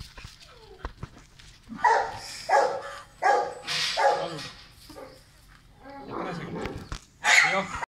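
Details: A Beagle named Leo at play gives a run of four barks roughly every 0.7 seconds, a softer whining stretch, then one last loud bark, with a person talking in between.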